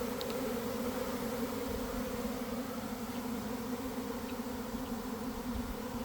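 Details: Honey bees swarming from a garden hive in the early afternoon after a spell of cold, damp weather; a rich, unbroken droning buzz of the airborne swarm, with a few faint high ticks early on.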